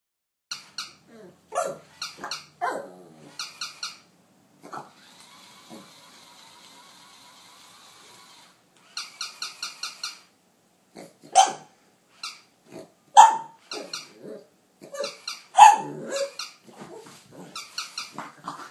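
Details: Yamada, a pet pug, facing off against a capybara indoors, filmed on an iPhone 4S: short sharp barks in irregular bursts, with a steady whining hum through the middle.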